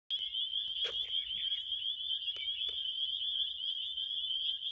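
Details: Crickets in a relaxing night-time recording: a steady, high, unbroken shrill trill holds throughout, with a few brief sharp clicks near the first and third seconds.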